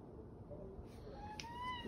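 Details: The OK Cat, a pet domestic cat famous online for meows that sound like "okay", answers a woman's question about a snowstorm with a single rising, tonal meow near the end, clear harmonics above, voices before and after.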